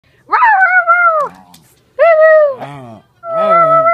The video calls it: Cairn Terrier that loves to bark